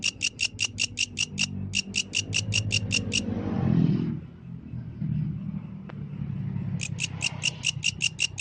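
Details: Yellow grasshopper at night: bursts of crisp, buzzy pulses, about five per second. The song stops for several seconds while a low rumbling noise swells, then starts again.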